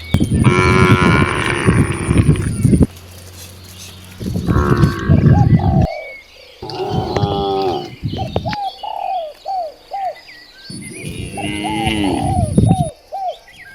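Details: Several of dozens of cows roaming freely in nature moo loudly in turn, long low harmonic calls, with a bird chirping between them.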